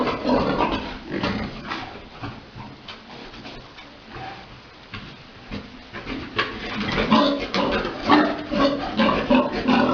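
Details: Big boar mating a sow on a pig farm during breeding; irregular rough grunts and snorts, roughly two a second, rising louder toward the end, over shuffling and clattering farm noise.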